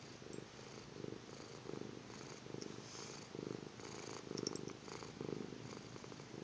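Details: Kitten asleep, snoring with a gentle rasping rhythm, roughly eight breaths over six seconds, each a muffled low buzz with a breathy hiss on top; the room is otherwise quiet.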